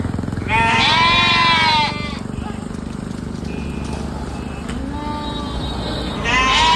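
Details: A sheep gives a loud, quavering bleat of about a second and a half, then quieter bleats follow, with another strong bleat at the end over a constant low hum.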